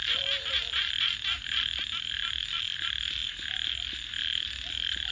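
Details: Frogs calling at night beside a campfire: a dense, high-pitched chorus of fast trilling calls runs throughout, with sharp crackles and pops from the burning fire.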